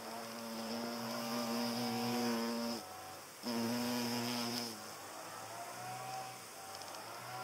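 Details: Buzzing hornet driving butterflies off: a loud low drone with rich harmonics in two long passes, the first nearly three seconds, the second shorter, then a fainter, wavering buzz as it moves farther away.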